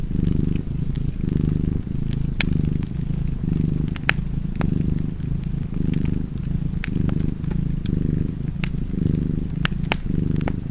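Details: Cat purring by a crackling fireplace, with a deep continuous rumble pulsing in breath-length waves about once per second and scattered snapping clicks from burning wood.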